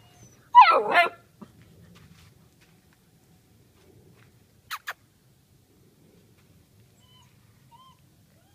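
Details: Leonberger puppy, 41 days old: one loud, wavering yelp that dips and rises, then near silence with two short clicks.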